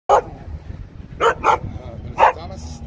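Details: A protective Siberian Husky barking to scare away a robot dog: a sharp bark, then a pair of quick barks and another single bark, with a person's voice nearby.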